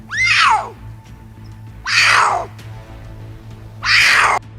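Three loud, raspy puma screams start high and fall away, each lasting over half a second and spaced about two seconds apart. A faint steady low hum runs underneath.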